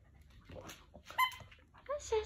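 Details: Jack Russell Terrier playing indoors with a person, giving brief high whimpering whines: a short thin tone, then a falling whine near the end, mixed with soft rustling and a person talking quietly.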